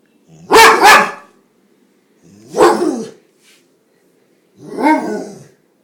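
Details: A domestic dog that falls into sneezing fits when it barks gives three separate harsh, explosive bursts, spaced about two seconds apart. The first burst is a loud double note and the later two are softer.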